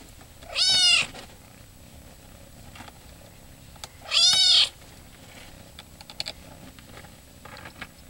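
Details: Maud'dib the cat gives two short, wavering, bleating meows about three and a half seconds apart indoors, with soft clicks and rustles between them.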